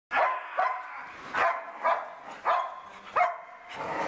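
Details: Dog barking while playing with a bird: short, sharp barks in a loose series, about six over four seconds, with uneven gaps.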